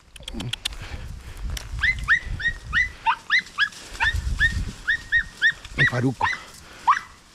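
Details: Podenco puppies hunting a rabbit in open countryside: a run of short, high, rising-then-falling yelps repeated roughly every half second, with a man shouting encouragement at the start and end.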